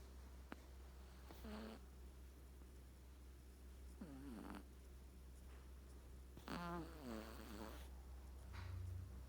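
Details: Sleeping Persian kitten, a three-month-old male, gives three raspy snores with wavering harmonic tones around two, four and seven seconds, separated by quiet pauses and set against a constant low electrical hum.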